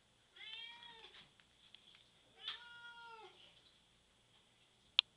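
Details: Cat in the bath meowing, upset and wanting out: two long, wavering, harmonic meows over a faint hiss of water, ending with a sharp click.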